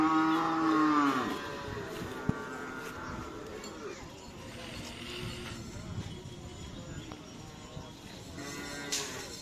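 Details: Bull of the Karapan Sapi racing team Lanyala 99, training at the Asemanis field in Pamekasan, Madura: one long, low, harmonic moo that falls in pitch over about a second, followed by crowd murmur, voices and scattered outdoor noise.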